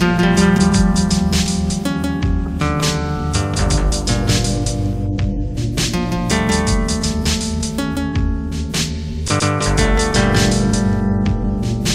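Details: Strummed and plucked guitar music with a steady bass line plays throughout, with no animal sounds.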